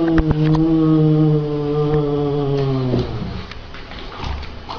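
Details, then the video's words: A male cat gives a long, low, drawn-out moaning yowl that holds steady for about three seconds while its pitch slowly sinks, then breaks off into quieter rustling and faint clicks. "ram puss talks funny"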